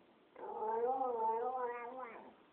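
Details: Siberian Husky, a 12-year-old pet female named Tuscany, howling indoors: a sustained wavering tone with rich harmonics lasting about two seconds, rising and falling slightly in pitch, ending with a brief upward lift.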